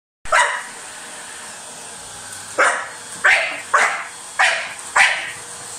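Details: Dog biting a vacuum cleaner: after a quiet start, five loud, sharp barks burst out at irregular intervals over roughly three seconds, each one short and harsh, above a steady mechanical hum.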